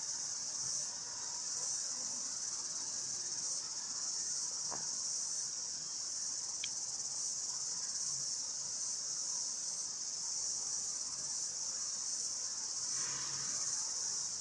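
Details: Many cicadas calling outdoors in the background while a person sits listening; a steady, dense high-pitched hiss-like drone runs unbroken throughout, with a few brief faint clicks.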